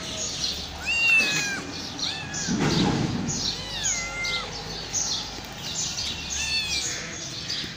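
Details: Hungry homeless mother cat, accompanied by five kittens, meowing plaintively while waiting for food. About six drawn-out meows slide downward in pitch, roughly one per second, with a brief low rumbling burst midway.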